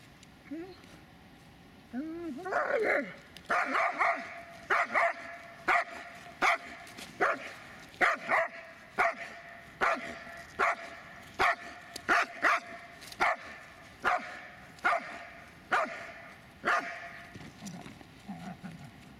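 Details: Dobermann Magmar Von Der Burgstätte barking in a steady series, one sharp bark roughly every second after a short whine, clear and loud throughout.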